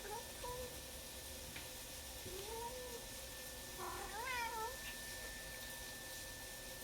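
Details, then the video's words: Black cat calling during dinner indoors: three drawn-out, wavering meows with rising and falling pitch, the last louder and more strained, over a steady faint background hum. "Black cat making demon noises during dinner"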